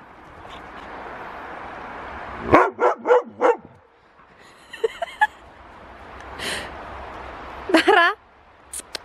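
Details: Huskies playing rough in a wrestling match. A quick string of four yelping barks is followed later by a brief rising yip, with a person talking in between.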